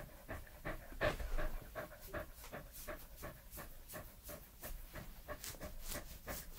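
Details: Edmundo, a 3-year-old male Pembroke Welsh Corgi, recorded close up for ASMR: soft wet mouth sounds and quick breathy panting pulses, roughly three per second, steady and fairly even, with faint background rustle.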